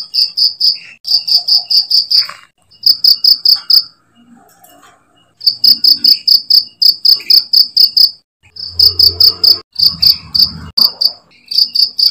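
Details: Cricket chirping, used for tutoring songbirds: groups of four to eight sharp, high pulses separated by short silences, with a longer quiet stretch midway. Some low knocking noises in the background.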